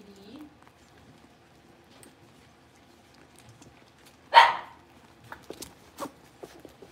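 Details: Blenheim Cavalier King Charles Spaniel puppy in an indoor pen, one of a litter of five born at New Year, gives one short loud bark midway, preceded by a faint squeak and followed by light clicks and taps.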